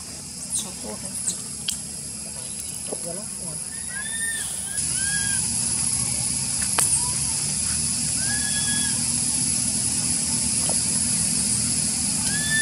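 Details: Young monkey at Angkor Wat and Bayon temple, Cambodia, in spring, whistling for milk: short arched whistles, rising then falling, scattered through the clip over steady hiss, a constant high thin drone and a few clicks and knocks.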